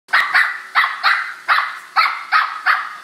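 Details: A corgi barks in quick, sharp bursts, several in a row, at a robot vacuum.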